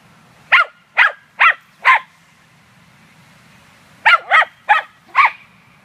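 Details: Munchkin, a female dog at a dog run on 9 May 2013, hunting squirrels instead of playing with other dogs: two quick bursts of four sharp, high barks each, separated by a pause, over a faint steady low hum.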